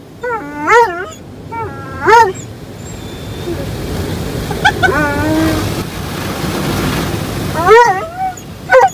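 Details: Roman the Dobermann reacts to his first automatic car wash with yelping, whiny barks. Paired bursts come at the start and end, with quieter whimpers and a steady machine hum between.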